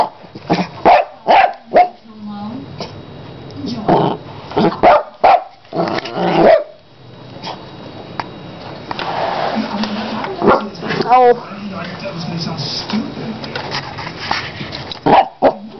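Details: A female pet dog plays with a carpet cleaner and gives rapid bursts of barks and yips, some with a rough growling edge. Several clusters are spread through the recording, and people talk and laugh over a background hum.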